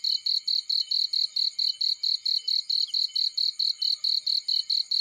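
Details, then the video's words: High, insistent cricket chirping in a field, regular rapid pulses around four per second continuing throughout, with slight low crackles underneath. "Warm Relaxing Fireplace In Field || Burning with Cricket Sounds"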